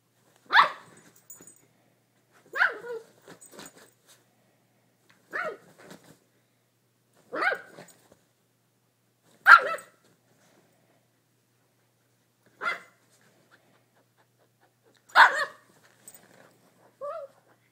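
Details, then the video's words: A poodle barking in agitation because he cannot figure out what is causing a noise; sharp single barks spaced about two seconds apart, some followed by brief softer yelps, with quiet gaps in between. "Poodle goes crazy"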